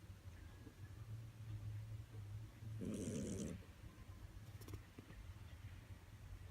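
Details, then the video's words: Domestic cat snoring loudly, said to be louder than a person; a low steady rumble underneath, with one harsh, noisy breath burst lasting under a second near the middle. "Кот храпит жесть"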